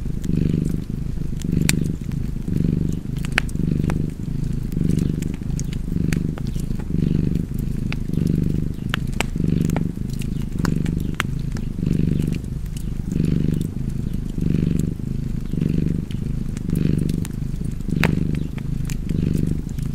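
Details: Cozy purring cat beside a fireplace, its deep throaty rumble pulsing in regular inhale-exhale waves about fifty times a minute while fire crackles snap and tick in the background.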